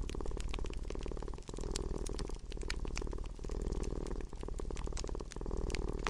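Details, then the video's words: Low vibrating purr from a domestic cat, pulsing with its breathing about every two seconds, brief dips between breaths, while fire crackles snap throughout. "Relaxing with Purring Cat"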